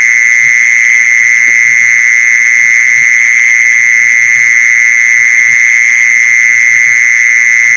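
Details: Luring sound of a mole cricket: a steady, droning trill held at one pitch without pause or change in volume. Faint low tapping sounds run in the background.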